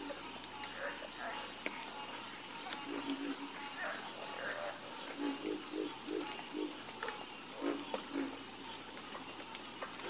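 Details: Frogs croaking in a night chorus, low pulsed croaks repeating in short bursts beneath a steady high insect drone of crickets across the whole recording.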